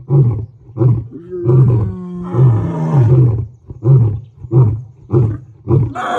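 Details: African lion on safari giving a rhythmic run of deep grunts about one every second, with a longer rough roar in the middle; low and resonant throughout.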